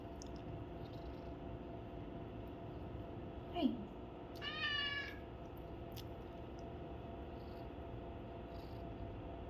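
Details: Pet cat having its ears cleaned, one of four cats groomed in turn; a short soft chirp, then one clear wavering meow midway, with faint background music and room hum.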